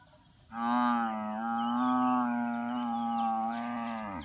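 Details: A buffalo lows in a single sustained, steady bellow of about three and a half seconds, deep and droning with little change in pitch, tapering off at the close against quiet surroundings.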